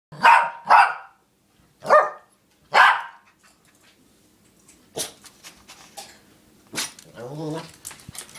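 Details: Morkie indoors barking at a boy riding an electric toy car outside while people play basketball: four loud sharp barks in the first three seconds, then softer rustling, thuds and a brief whining sound.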